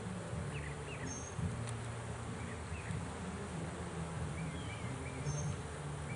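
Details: Swarm of bees caught in a swarm trap, its first catch, as the bees are removed; a dense low humming buzz rising and falling in waves, with faint scattered bird calls in the background.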